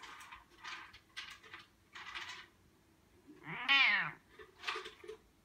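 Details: Sushi, a Bengal cat, gives lazy meows indoors: one clear drawn-out harmonic meow that rises then falls, with shorter breathy, noisy sounds and faint voices around it.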